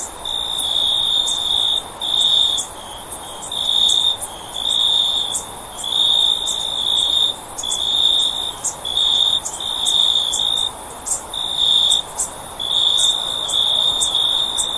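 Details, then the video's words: Shrill, even-pitched cricket chirps come in repeated bursts lasting one to two seconds with short gaps between them, overlaid by scattered sharp high clicks and a faint hiss. "Cricket Sound For Sleep"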